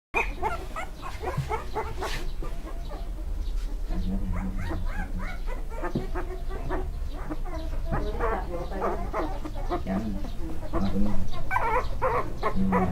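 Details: Staffordshire Bull Terrier puppies at a breeder in Thailand give a busy stream of short, high yips and squeaky whines.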